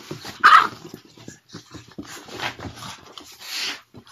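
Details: Mochi, a Boston Terrier and French Bulldog mix, play-fights with Curro. One sharp bark rings out early, then softer grumbling growls and rustling follow with short pauses between them.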